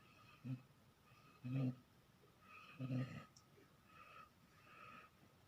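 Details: A dog snoring: three deep, rasping low snorts about a second and a half apart, followed by fainter breathy exhalations against a quiet background.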